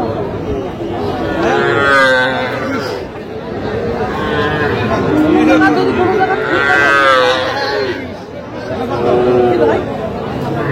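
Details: Small Sahiwal-type bull and heifer calves for sale at a busy Tangail cattle market, Bangladesh, 7 July 2025: three long, wavering moos spaced a few seconds apart, each rising and falling, against traders' haggling and crowd noise.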